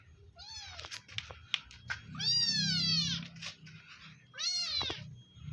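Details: Free-roaming village cat meowing while being fed: a short meow, then a long drawn-out wavering meow, then a third shorter one, with scattered clicks and low background rumble.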